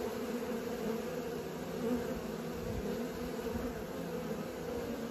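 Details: Continuous droning buzz of honey bees learning to fly, a thick low hum of many wings that swells and eases slightly over a few seconds.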